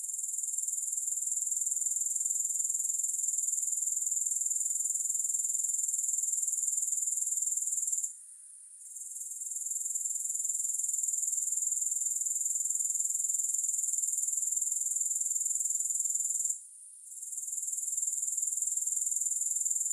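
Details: Grasshoppers without music: a steady, very high, shimmering trill of fast even pulses that fills the clip, with the sound dropping away twice for under a second before resuming.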